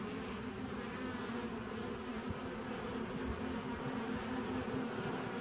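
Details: Bee drone recorded 27 September 2018: a constant low buzzing with one clear sustained tone and a rough, fluttering texture underneath, loudness nearly flat.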